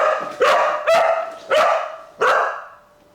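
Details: Pet dog barking at a ringing doorbell during place-command training, a stressed, anxious bark: four loud, sharp barks spaced about half a second apart, each ending in a fading tail, with a quiet room and no other sounds.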